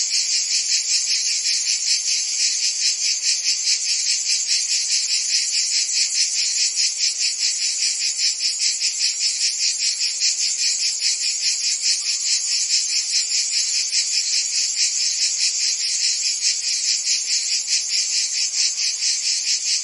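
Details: Nonstop high shimmering trill of a cricket and insect chorus, meant as calming background for relaxation and sleep, with a rapid regular pulsing running through the whole stretch and no other noise.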